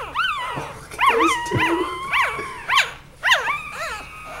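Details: Puppies playing with their mother dog, described as wrestling: quick shrill yips rising and falling, mixed with a few low growly grunts, in rapid uneven bursts.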